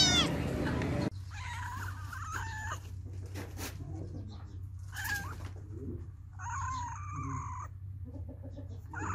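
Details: Kittens and cats meowing in a compilation; a loud burst opens the clip, then several short, high, wavering meows come in separate bursts over a steady low hum.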